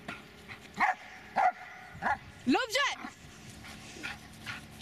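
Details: Dobermann Magmar Von Der Burgstätte gives a few loud single barks spaced under a second apart, then a rising, wavering yelp, with a human voice speaking in the background.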